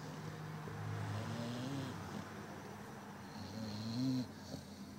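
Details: Sleeping Labrador Retriever named Zuro gives two soft, buzzing snores about two seconds apart, each a low hum that bends upward near its end, over faint room noise.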